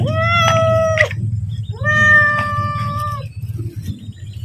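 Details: Domestic cat meowing to ask for food as it is about to be fed: two long, level, harmonic meows about a second each, separated by a short pause, over a steady low hum.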